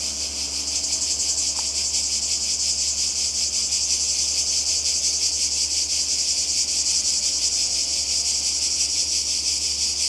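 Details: Cicadas calling in summer by the sea in Croatia: a dense, continuous buzzy hiss high in pitch, pulsing rapidly and steadily without pause for the whole stretch, with a faint low hum beneath.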